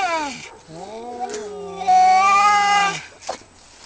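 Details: Pair of male cats in a territorial fight near a house; a low moaning growl-yowl swells and slides, then a louder sustained wail holds for about a second before cutting off.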